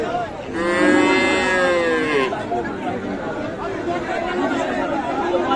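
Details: Sahiwal bull calf at Raniganj cattle market, Dinajpur, Bangladesh, on 7 April 2025; a loud, drawn-out moo of nearly two seconds, tonal and slightly falling, over steady crowd chatter and voices of the busy market.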